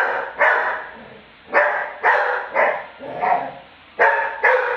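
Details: Steady run of six loud, rough barks from Lucky the Labrador, roughly every half to one second, his reaction to being mocked.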